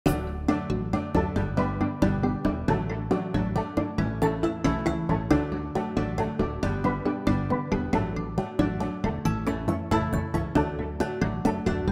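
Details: Steady rhythmic instrumental music with a regular beat fills the recording, with no animal sounds heard.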